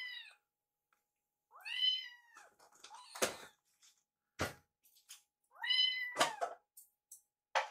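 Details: Foster kitten meowing while the litter eats, Yuki eyeing Piyo's food; two long arching meows with rich harmonics, broken by sharp clattering knocks of a dish.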